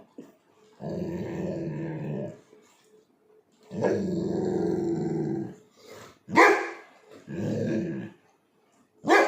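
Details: A Labrador Retriever puppy makes strange, drawn-out, groaning growl-whines while begging to take a treat from its owner.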